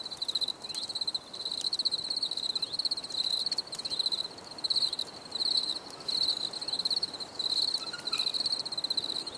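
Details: Cricket sounds for stress relief: high, buzzy pulsed trills in bursts lasting about half a second, about 85 per minute, with a faint higher chirp from another insect and a soft hiss.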